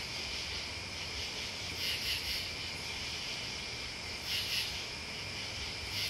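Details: Continuous shrill insect chorus of crickets and bugs, a steady high buzz that brightens into louder pulsing bursts around two and four seconds in, over a soft low background hum.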